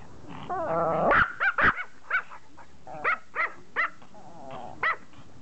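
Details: Pomeranian dog begging to play catch, barking at a ball game of fetch; a human voice speaks briefly, then sharp high yaps come in quick bursts, about eight short barks spaced unevenly over four seconds.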